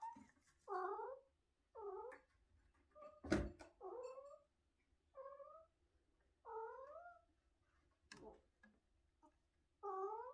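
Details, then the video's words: Domestic cat named MiniMinski, a talkative pet indoors, making a string of short rising-falling meows and chirrups, about seven separate calls spaced a second or so apart, with a couple of sharp clicks or knocks in between. "Talking cat"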